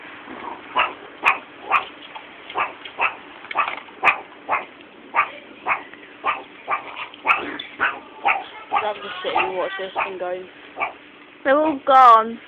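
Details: Meerkats kept at a college are fed mealworms in tubes and bark and growl. Short harsh calls repeat about twice a second, then turn into a messier stretch with people's voices and laughter at the end.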